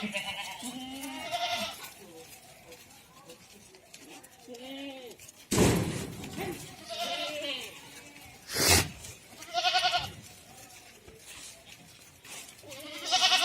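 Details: Goats on a goat farm in Ajmer, Rajasthan, India bleat repeatedly, with wavering nasal calls overlapping one another, and occasional loud bangs and voices.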